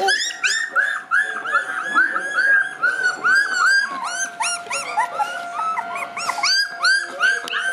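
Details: Black Shiba Inu puppies, three littermates born 18 August, on their first short outing outdoors, give a rapid series of high, squeaky whimpers and yelps, overlapping and irregular, with a steady tonal hum in the background.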